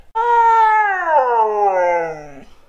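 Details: Husky named Mooner howling when asked for poetry; one long, clear, tonal vocalisation with rich harmonics, steady then sliding downward to a low ending over about two seconds.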